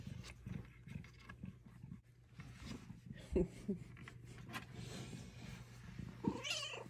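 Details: Pet cat Luna purrs through belly rubs at home, the low rumble pulsing in soft rhythmic beats, with a brief rising chirp at the very end and a quiet steady hum underneath.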